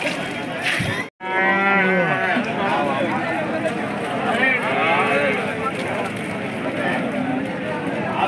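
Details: Hallikar cattle at the KG Temple market in India, held every Monday: one drawn-out low moo with stacked harmonics about a second in, followed by steady crowd chatter and people bargaining nearby.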